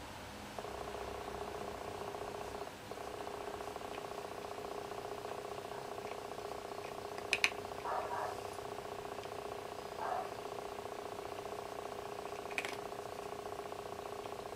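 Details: House cat purring indoors; Shijimi eats while Asari looks outside. A long, even, buzzing purr holds nearly throughout, with a short break near three seconds and a few faint clicks and taps.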